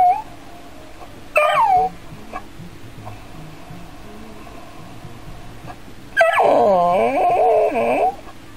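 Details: Dog reacting to a robotic android cat, curious yet frightened: a short rising-falling whine near 1.4 seconds, then a longer wavering harmonic whimper with yips from about 6 to 8 seconds, quiet between.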